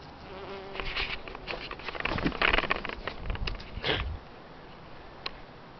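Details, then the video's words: A bee feasting on a Tuberous Begonia bloom, then flying close, recorded at arm's length: a rough, droning buzz swells and fades for about three seconds as it passes near, with uneven surges, then quiet background hiss. "Buzz bomb bee"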